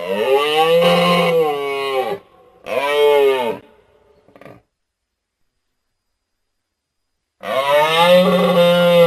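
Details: Moose uttering long, drawn-out, wavering moans of about two seconds each, a shorter one following closely, then a long silence before another rising moan begins.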